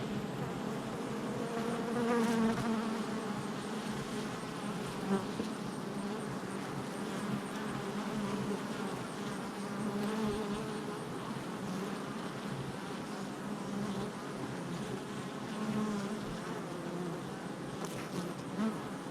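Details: Honey bees at a hive entrance on July 22nd, 2024: a dense, steady buzz of many insects with layered hum bands around a low droning pitch, brief louder swells as individual bees pass close.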